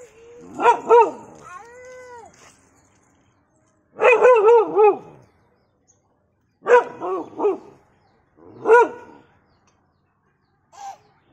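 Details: A dog gives short clusters of ringing, tonal barks with a brief whine between them. Four bursts come in about eleven seconds, with silent gaps between.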